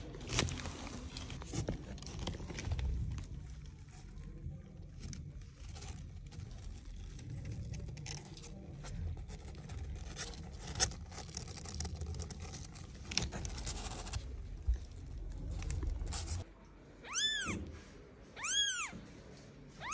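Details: Newborn kitten left behind by its mother cat, crying three high, thin, arching meows near the end, after a long stretch of rustling and handling noise.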